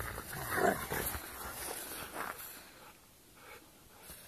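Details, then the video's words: Rottweilers Froja and Yra at play: a cluster of rough, noisy, broadband vocal bursts packed into the first two and a half seconds, fading to quieter scuffling and background hiss afterward. "Rottweilerna Froja och Yra leker"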